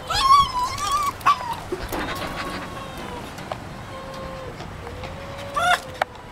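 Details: Tame, very excited fox greeting its keeper: high, tonal whines with bright harmonics, a few short squeals near the start, a drawn-out thin whine mid-clip, and another squealing burst near the end.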